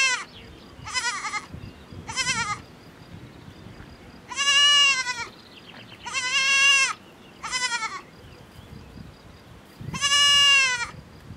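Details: Farm-kept miniature goat kid calling its mother in the herd; repeated bleats over eleven seconds, short quavering ones alternating with longer loud sustained cries roughly every two seconds, some fainter bleats from other goats.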